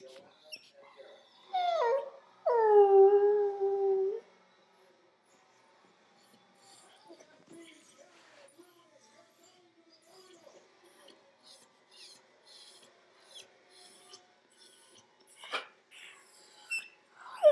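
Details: A puppy, said to be sad because his squeaky toy won't stop squeaking, gives a couple of drawn-out, wavering whines and yelps, followed by quieter rustling.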